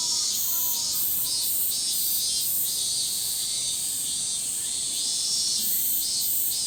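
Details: A massive chorus of min-min cicadas in a summer forest, a high shrill buzzing that pulses in steady waves.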